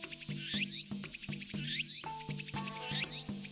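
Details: In Japan near the end of summer, a Tsukutsukuboshi (Walker's cicada) sings shrill, rhythmic phrases with rising sweeps over a steady musical beat, a sound heard as marking summer's end.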